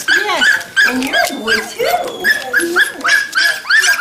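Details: A litter of young Standard Poodle puppies at a Montana breeder near Columbia Falls, November 2013, squealing in short, bent, high whines several times a second, voices overlapping, while a woman chatters affectionately close by.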